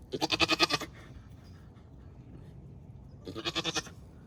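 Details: Labouring Nigerian Dwarf doe from a Northern California dairy herd, kidding twins for the first time: two quavering, pulsed bleats about three seconds apart, each under a second long, over low background noise.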